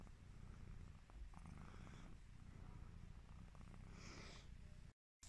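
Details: Coco, a sleepy, yawning Devon Rex kitten, purrs in a steady low rumble that pulses without pause, with a soft breathy rustle near the end before a brief silence.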